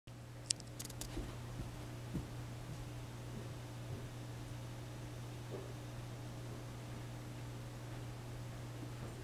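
A quiet indoor room with a steady low electrical hum and a few faint clicks and rustles.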